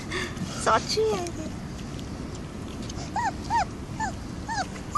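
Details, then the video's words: Stray puppies at a construction site crying for food: a series of short, arched, high whimpers repeated about every half second, with a person talking in the background. "Construction site stray puppies series - yelling and asking for food"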